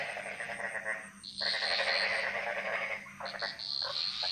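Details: Frogs singing in a jungle chorus in Bali: overlapping pulsed, rattling croaks with a sustained high trill layered above, swelling loud after a brief lull and continuing dense to the end.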